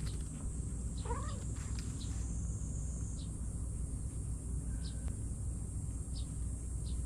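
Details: Kittens from a cat family play-wrestling as their mother cat looks on; one short wavering mew rises and falls near the start, followed by faint scuffling clicks over a steady background hiss.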